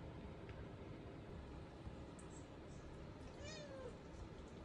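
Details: A male British Shorthair kitten gives a single thin meow that falls in pitch, begging to be let outside, as it does nonstop every day; it is kept in because it is not safe right now.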